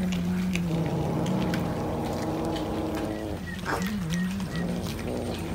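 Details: Cat eating fish, uttering a steady, low, droning murmur that wavers slightly in pitch, with a brief upward slide near the end and soft clicking feeding noises.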